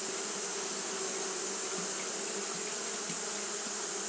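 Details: Continuous buzzing of Japanese honey bees fanning on a hot day: a level hum with brief rising blips from individual bees over a steady hiss.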